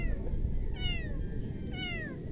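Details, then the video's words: Hungry stray kitten being fed fish, letting out two clear, drawn-out meows that slide down in pitch, with low rumbling background noise and a person speaking nearby. "This Hungry Stray Kitten Ate My Fresh Catch"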